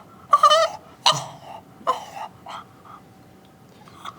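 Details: Bentley, a bulldog puppy, hiccups after a long walk and playtime left him overexcited and tired, resisting his nap; four short, sharp voiced hiccup bursts come in the first two and a half seconds, under a second apart, then fainter ones in a quiet room.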